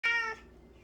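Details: Cat obsessed with flower petals gives one short, loud meow that fades quickly, with a person exclaiming right after.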